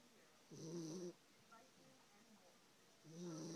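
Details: Sleeping dog snoring: two low, rumbling, throaty snores about two and a half seconds apart, each lasting around half a second with a faint hissy breath edge, quiet room between them.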